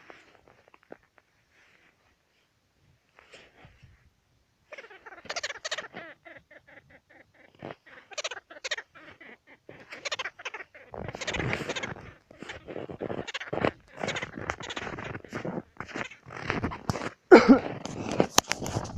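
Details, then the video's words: Jerboa in Yakutia, picking a fight and scolding people out of anger. After a few faint ticks, a short buzzy, nasal call holds steady, then harsh, scratchy chattering bursts follow in quick succession, growing louder toward the end. "Тушканчик Ругается Как в Мультике:) Крайне возмущен поведением Людей"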